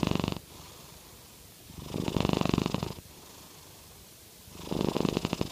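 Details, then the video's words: Norwegian Forest Cat snore-purring, about as loud as it ever gets; a breath ending at the start, then two longer buzzing, pulsating breaths with steady quiet pauses between. "Norwegian Forest Cat - Jade Purr Snoring"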